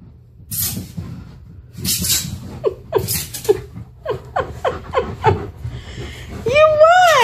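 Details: Tonka, a male Alaskan Malamute, reacts to a mannequin head indoors with a run of short, quick descending yelps, ending in a wavering, drawn-out harmonic 'woo' vocalization; a woman talks and laughs between the sounds.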